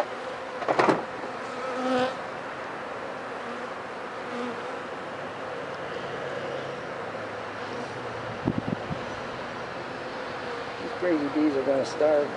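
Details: Continuous humming of honey bees at a rain-soaked hive with many dead bees in front, inspected for sickness; a low, even buzz with a few knocks and brief louder bursts near the start and end.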